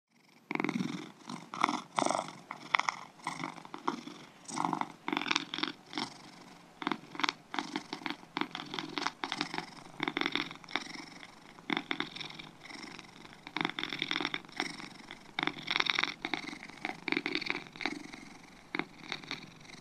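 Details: Two domestic cats purring: a rough, pulsing rumble in bursts of about a second, with short quiet gaps between breaths and louder surges near the start and end.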